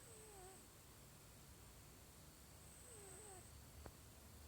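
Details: A sleeping cat snores softly. Two faint whistling breaths, each bending down then up, come about three seconds apart over a steady low hum. One sharp click sounds near the end.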